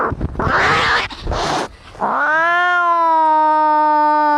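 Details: Angry cats fighting: harsh, noisy hissing and spitting bursts for under two seconds, then one long drawn-out yowl that rises briefly and holds a steady, harmonic-rich tone to the end.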